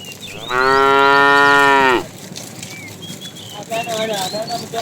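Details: Tame herd cattle driven in the afternoon, a fat cow calling the female: one strong, steady moo lasting about one and a half seconds, followed by quieter background with bird chirps and a faint lower voice.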